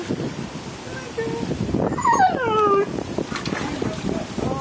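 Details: Older male Siberian Husky watching an 11-week-old puppy swim in a big pool, howling out of jealousy and wanting to get in; a drawn-out falling whine with harmonics, amid splashing water and a woman talking.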